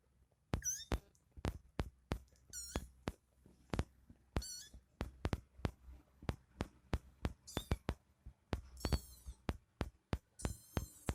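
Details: Mother cat nursing her kitten indoors; several short, high, squeaky mews with bright harmonic overtones rise above a steady run of sharp clicking taps and a low background hum.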